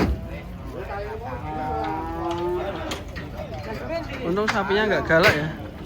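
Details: A white horned cow arriving and being unloaded from a truck at a cattle market gives a long, drawn-out moo lasting about two seconds, followed by shorter wavering calls near the end, with background voices and clatter.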